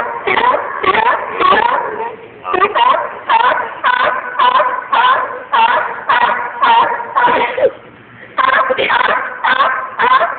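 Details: Loud chorus of seals barking, rough harmonic bursts following one another nearly twice a second in steady runs, broken by a single brief pause near the end before the calling picks up again.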